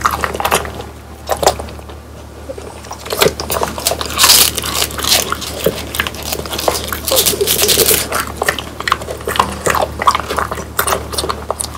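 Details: French Bulldogs eating whole quail that was dried until crunchy, bones included: sharp, irregular crunches and bites in quick bursts with quieter gaps, set in a small indoor room.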